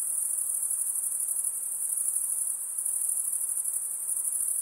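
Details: Shrill, constant insect buzzing at a very high pitch, faintly pulsing in texture, with soft hiss underneath and no other sounds.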